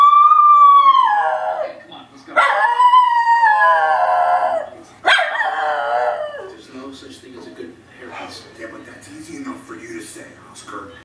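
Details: A Miniature Schnauzer bays at characters on The Office on TV: three sustained, mournful bays, each rising briefly then sagging down in pitch, with television dialogue continuing quietly underneath.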